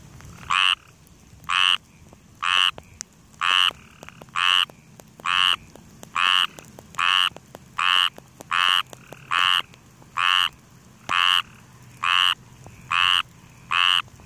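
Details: A frog in grass calls steadily: loud, short, rasping croaks repeated about once a second, fifteen in a row with even spacing, over quiet background hiss.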